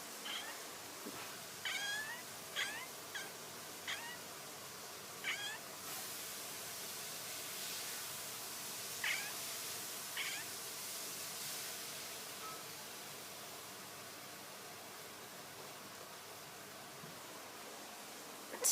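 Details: Domestic cat making odd noises: a rapid burst of short, stuttering chirps over the first few seconds, then a few scattered chirps fading into a quieter hissy background.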